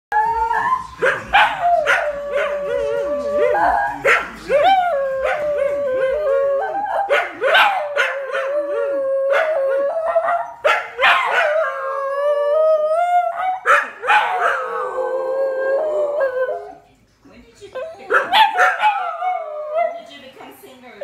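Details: A male dingo howls with a smaller companion in long, wavering tones that slide up and down, broken by sharp yips, singing for no apparent reason.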